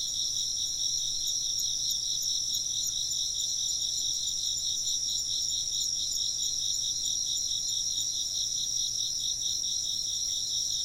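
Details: Insects keep up a steady, piercing trill chorus, several pitches pulsing in quick rhythm for the whole stretch, backed by a faint low hum.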